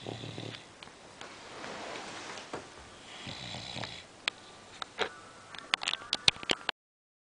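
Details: Sleeping English Bulldog named Budha snores indoors while people attempt to rouse her; two raspy, breathy snores swell and fade over several seconds, followed by sharp clicks and brief tonal sounds near the end.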